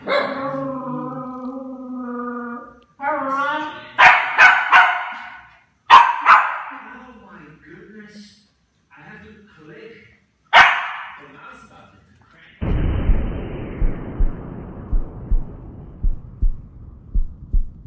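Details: A red female toy poodle barks at her own shadow, giving sharp, high yapping barks in short bursts after a whining tone.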